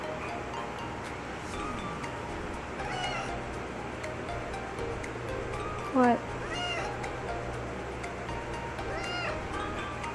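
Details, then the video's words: Talkative female domestic cat, possibly pregnant, meowing huskily to demand attention; several hoarse, arching meows around three, six and nine seconds, over a steady low hum with a person's voice faintly present. "Cat's Husky Meow"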